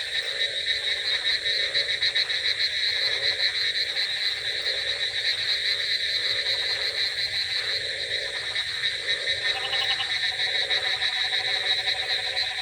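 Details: Night chorus of frogs in the rain, with repeated bursts of pulsed croaking roughly every second and a bright, ringing call sequence near the end, over a constant wash of rainfall.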